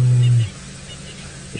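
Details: At sunset on 26 October 2017, a male lion grooming his fur gives a short, deep, moaning contact call. He is apparently calling to his male partner, who is out of sight; such calls grow louder until one responds.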